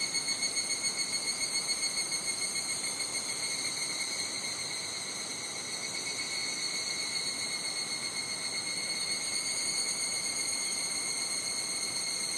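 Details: Higurashi cicadas in a Japanese summer at Nishigō village, Fukushima: an unbroken high-pitched ringing drone, rhythmically pulsing at first at about four beats a second, then smoothing into a steady shrill, faint wind behind.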